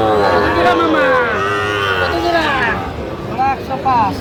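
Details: Sahiwal bulls at a Bangladeshi cattle market, 23 August 2025, bought by a farmer from Dhaka; a long, wavering moo of about two and a half seconds, then short calls over steady crowd talk.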